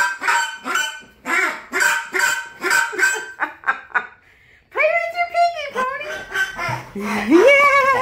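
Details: Alaskan Malamute vocalizing excitedly: choppy honking yelps in quick bursts, then long drawn-out harmonic woo calls that hold steady and sweep upward near the end, with voices mixed in.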